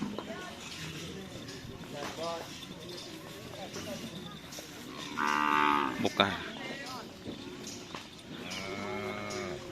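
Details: Cattle at karapan sapi bull-race training on the Asemanis field in Pamekasan; drawn-out harmonic lowing calls rise among busy crowd chatter and background music, one louder bellow near the middle.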